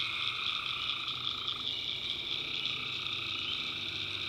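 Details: Tree frogs at night in a North Carolina backwoods swamp. A continuous shrill chorus is joined by a mid-pitched trill that drops out after about a second and a half, leaving a steady high drone.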